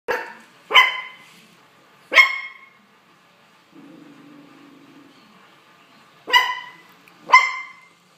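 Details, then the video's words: Young poodle barking: sharp, bright barks in two pairs, spaced about a second apart, with a quiet low hum between them. "yung pupper borking"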